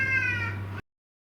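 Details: Fighting cat giving a short level, harmonic yowl under a second long before abrupt silence, with a low steady hum beneath.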